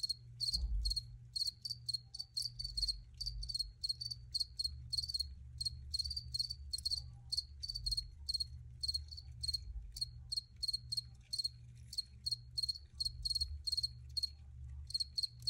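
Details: Recorded crickets give a continuous series of shrill, pulsed chirps repeating quickly and evenly, above a steady low rumble.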